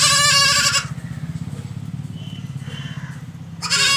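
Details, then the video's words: Goat bleating in two loud, quavering, nasal bursts, one at the start and one at the end, with a steady low engine-like hum droning through the quiet gap between them. "Funny Goat Baa Baa Sound#Bakri Sound"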